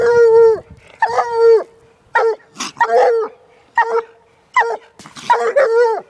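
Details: Young female Walker hound, one year old, barking at a raccoon in a cage: long, drawn-out bawling howls alternate with shorter clipped barks, each bay holding a steady pitch before dropping away.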